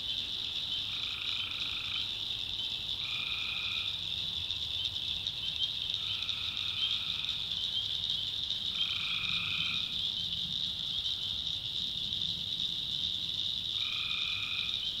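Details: Tree frogs in a North Carolina backwoods swamp at night give five even, nasal calls, each about a second long, at irregular intervals of two to five seconds, under a constant shrill chorus of insects and frogs.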